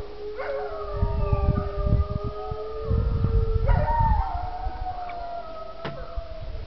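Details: Sled dogs in Alaska howl together, "singing" in long, sliding tones that rise and fall over a low rumble.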